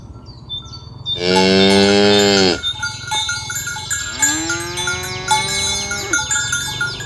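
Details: Morning herd of tame cows on a village road heading to the pen, calling companions to gather: one loud, flat moo of about one and a half seconds, then a longer, rising and falling moo, with chiming cowbells throughout.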